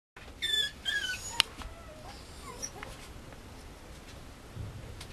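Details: Male Mame Shiba puppy at a breeder, giving a short burst of high, thin squeals with a bright upper edge in the first second, followed by a few faint clicks and quiet room noise.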